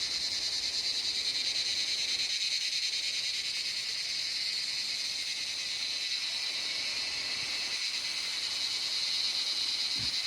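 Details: A dense, steady insect chorus fills the forest around Dawaipani, a quiet village in Darjeeling district, north Bengal, in September, with a high shrill buzz, unbroken throughout.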